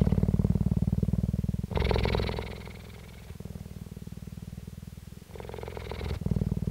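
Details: Loud close purr of a female cheetah at the Dell Cheetah Centre, South Africa, May 2019: rapid low throb alternating with harsher, noisier breath phases lasting about a second, then quieter even rumbling.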